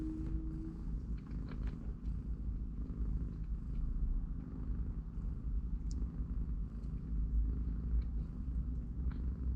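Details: Mother cat and her three-week-old kittens, playing and napping in a cardboard box; a constant low purring rumble fills the stretch, opened by a brief faint tone, with occasional small clicks above.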